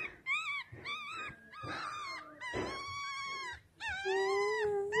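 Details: Two young male chocolate Yorkshire Terriers, born April 7, 2018, make a run of high, harmonic whining yelps. Some rise and fall, some hold steady, in short bursts with brief gaps. One drawn-out steady whine closes the sequence.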